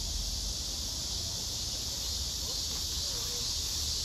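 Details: Continuous high buzzing from black cicadas lined up one below another, the biggest a female at the center; an even, unbroken droning wash with a few soft, faint sounds underneath.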